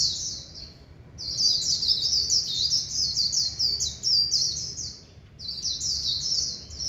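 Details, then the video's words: Warbling white-eye in singing competition season, delivering dense, high, rapid twittering phrases in bursts of several seconds, separated by short pauses, over a faint low background hum. "Kích vành khuyên líu xù chòe căng rực rỡ"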